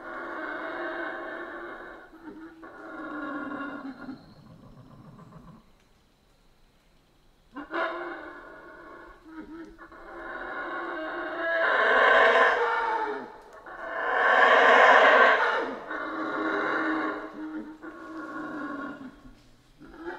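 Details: Howler monkeys in the Central American rainforest give deep, harmonically rich roaring howls in long swelling bouts of several seconds, with short pauses between them; the loudest, most intense roars build toward the middle and end of the passage.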